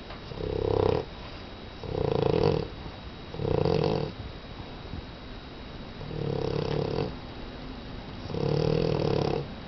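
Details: Pet dog Max asleep indoors, snoring steadily: five rasping, buzzy snores in a row, each under a second long and spaced about one and a half to two seconds apart, with quiet breathing gaps between.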